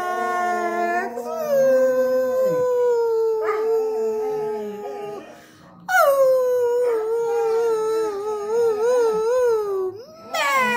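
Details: Pet dog howling while singing along with a person indoors: long, sustained, wavering tones that slide downward, broken by a short pause midway, then rising again into another drawn-out wail with quavering pitch.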